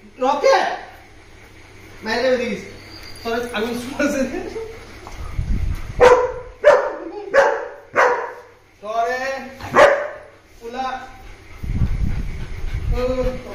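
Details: Reunion of a German Shepherd and a Labrador after ten days: long excited bouts of high yelps, whines and short barks, some in rapid clusters, with low thumping noise and background music.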